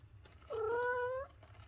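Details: A pet cat's short meow, under a second, opening with a brief upward slide and then holding level, against a faint room noise.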